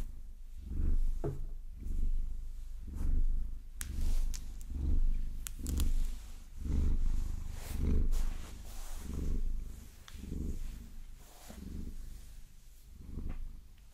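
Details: Pet Maine Coon Vasilisa purring contentedly as long nails massage her; rhythmic low rumble with about a dozen breath swells across the stretch, mixed with many sharp tapping and scratching clicks.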